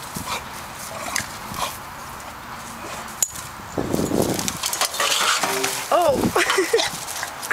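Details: Scared pet beagle fighting back, letting out a quick series of high, wavering whines and yelps in the last two seconds after a stretch of hissy background noise and a person's voice.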